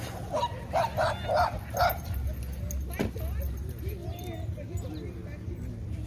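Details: At night in a park, Jah the Chihuahua lets out four quick, evenly spaced yappy barks in the first two seconds, followed by low rumbling hum and faint human voices.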